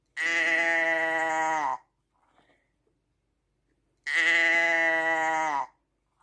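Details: Two long, steady sheep bleats about four seconds apart, each lasting around one and a half seconds and ending with a slight downward slide, with quiet between them.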